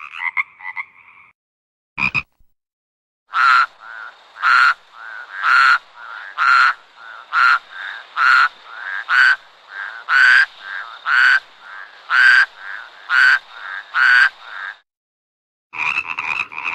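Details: A frog climbing a marang tree at night calls in an even series of a dozen short, loud croaks about one per second, with brief softer calls before and after.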